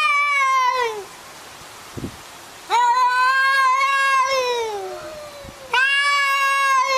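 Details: Cats arguing, three long harmonic meows with falling tails, one starting near 0 s, another around 3 s drawn out over two seconds, and a third at 6 s, separated by quiet gaps with faint clicks.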